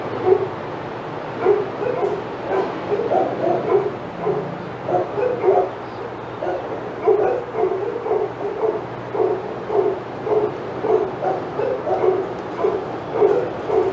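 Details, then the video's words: Dogs at Old Friends Senior Dog Sanctuary, filmed on the Outside Yard live cam, barking excitedly as Titus passes; rapid, repeated mid-pitched barks, nearly two per second, continuing steadily throughout with a faint hum beneath. "Dogs Go Crazy as Titus Passes"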